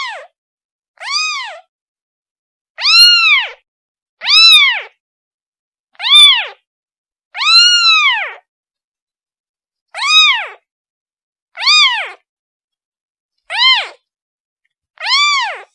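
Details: Kitten calling for its mother: loud, high arched meows with rich harmonics, each about half a second to a second long, ten calls in sixteen seconds at uneven intervals, against a silent background.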